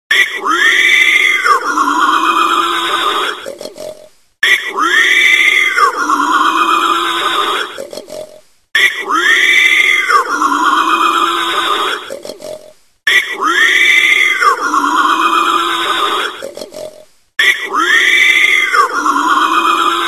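A wild boar gives rough, grunting, squealing calls in bursts of about four seconds, repeated.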